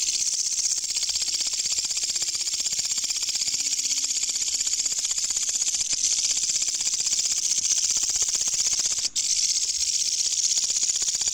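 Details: Loud katydid found during a night insect hunt, producing a continuous high, hissing buzz made of rapid regular pulses about four per second; a faint low tone and a brief click interrupt near the end.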